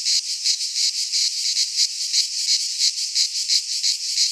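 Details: Midsummer cicada song from Greek pine woodland: shrill electric buzzing throbbing in steady pulses roughly three per second, bright and high, no background sounds.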